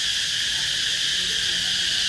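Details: A single cicada seen calling in summer in Vietnam, giving a loud continuous buzzing drone, steady and unbroken throughout, with no pauses.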